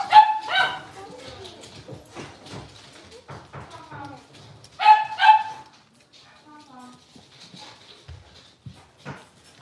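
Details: Playing Blenheim Cavalier King Charles Spaniel puppies from a litter of five in a home puppy pen. A pair of sharp, high barks opens the clip and another pair follows five seconds later, with soft whimpers and human talk in between.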